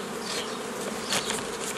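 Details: Massed honey bees buzzing during the forming of nucleus colonies in May 2018; constant low hum overlaid with bright, noisy bursts of nearby wingbeats, loudest around the middle.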